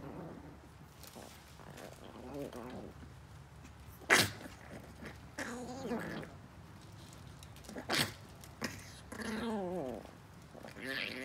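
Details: Teeny female Chihuahua puppy after a chew stick, letting out short, wavering high whines and squeaky yelps between sharp knocks and rustles, a few separate cries spread over the stretch.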